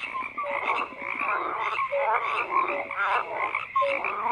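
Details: Frogs croak together in a thick chorus, harsh raspy calls mixed with brief clear notes that pop out every second or so, with no other sounds.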